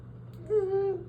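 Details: Gamora, a cat wanting to go outside while it is freezing cold at minus 30, gives one drawn-out tonal meow of about half a second, steady then slightly falling, indoors over a low steady hum.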